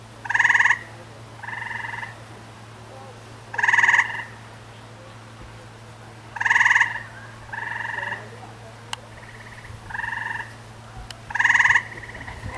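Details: Tree frogs calling back and forth: loud, buzzy, pulsed screams about half a second long alternate with softer replies, roughly one every one to two seconds over twelve seconds. A low hum runs throughout.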